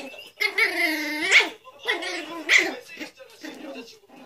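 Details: Two dogs, a Pomeranian and a Poodle, facing off: loud, harmonic, yelping barks that rise and break, with shorter yips after about 2.5 and 3.5 seconds and brief pauses between bursts.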